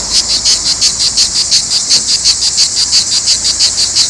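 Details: Provence cicadas giving a shrill, high-pitched rasping drone, beating in quick regular pulses roughly six times a second, with no other sounds heard.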